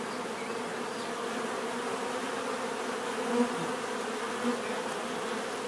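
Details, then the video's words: Natural bee buzzing: a steady low drone from many insects, with two louder buzzes as single bees pass close near the middle and end. "bees therapy relaxing natural buzzing sound"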